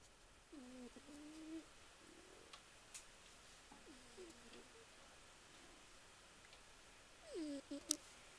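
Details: Soft meows from a domestic cat waking from sleep, heard in a small quiet room: faint wavering calls near one second, a short one around four seconds, and a brief rising-falling meow near seven seconds, with low hiss between.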